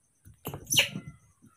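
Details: A newborn baby monkey, which its keeper says thinks the cat is its mother, gives one short, raspy, duck-like quack lasting under a second, followed by a faint squeak.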